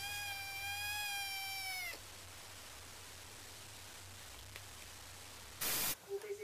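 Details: Pet cat gives one long, steady, drawn-out meow of nearly two seconds with rich harmonics, then quiet room tone, a brief loud noise burst and a short clipped sound at the end.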